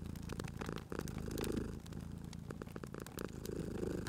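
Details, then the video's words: Sleeping domestic cat purring by a crackling fireplace in a cozy spring setting. A low, steady rumble swells and fades with each breath, while sharp pops and snaps of burning wood crackle over it throughout. "Cute Purring Cat at a Crackling Fireplace"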